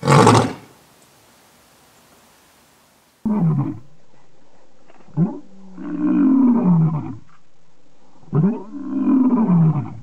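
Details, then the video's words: Lion calling in the African savanna, a sound used to mark territory and communicate with the pride: an opening loud burst, then quieter moaning, grunting roars in two rising-falling phrases over a steady low background hum. "Les secrets du rugissement du lion 🦁: libérer la puissance (cri du lion) | Lions Roaring Compilation"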